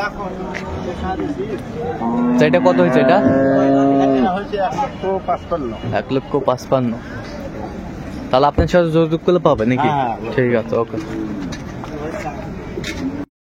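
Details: At the Ambari cattle market in Dinajpur, 10 February 2025, an improved-breed dairy cow or calf gives a loud two-second drawn-out moo amid busy market chatter and crowd noise.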